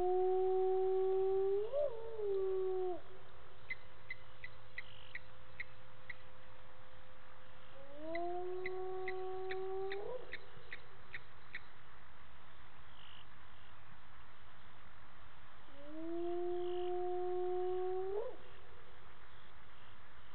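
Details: Hyena whoops echo across the Gowrie dam waterhole at Djuma Game Reserve, Sabi Sand Wildtuin, South Africa, at 18:30 on 10/11/18; three loud, rising, tonal calls come roughly every seven seconds, with rapid insect clicks between them.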